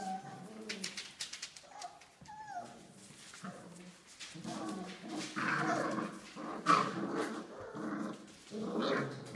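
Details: Australian Labradoodle puppies, five weeks old, from Olive's litter, indoors: rough low growling play sounds in irregular bursts, with a short whine rising and falling near the start.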